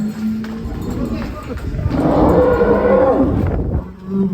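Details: Agitated giant cow at BS Farm, raging as it is led out of its pen, gives low, steady, drawn-out moos at the start and again at the end, while excited men's voices talk loudly over the commotion in between.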